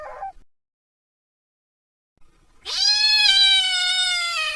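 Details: Kitten calling for its mother: after a brief chirp and a pause, one long, loud, drawn-out meow lasting about two seconds, rich in harmonics and sagging slightly in pitch toward the end.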